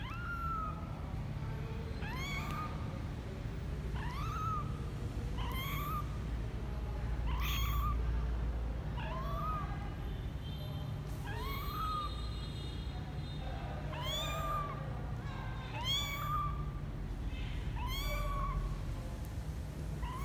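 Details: Misoka, a male kitten twelve days old, exploring outside his box for the first time on January 12, 2020, gives a steady series of high, rising-then-falling mews, about one every second and a half, over a low hum.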